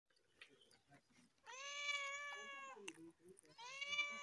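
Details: Cats meowing loudly on top of a car: after a few soft clicks, one long drawn-out, slightly wavering meow, then a shorter second meow rising at its start.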